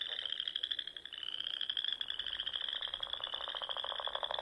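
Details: Spring dusk in the Sandhills of Nebraska, where frogs fill the air around small lakes and ponds; a steady high trilling chorus with a strong, rapid lower pulsing rattle building toward the end.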